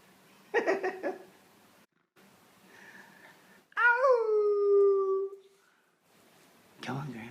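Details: Female Basenji Ginger Snap, a year and a half old, filmed indoors in November 2013 while coaxed to talk: one long, clear yodel that starts high and slides down into a steady tone, with brief human voices before and after.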